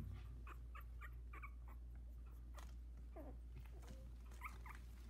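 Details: Sixteen-day-old Havanese puppies, a litter of four, some with eyes barely open, moving about the whelping box; repeated thin whimpers and a few falling squeals over a constant low indoor hum.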